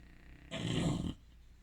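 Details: Sleeping bulldog giving a single rough, rumbling snore about half a second long against quiet background.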